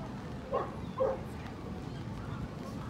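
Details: Corgi at the FCI Chubu International dog show during the male Best of Breed judging, 3 March 2019: two short, sharp barks half a second apart, rising out of a constant low murmur of hall crowd noise.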